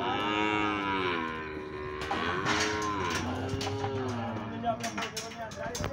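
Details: Nelore cows, a sixteen-head auction lot in Monte Aprazível, São Paulo state, Brazil, Saturday afternoon 9 January 2021; several cows moo at once in long, wavering, overlapping calls, followed by short knocks and rattles.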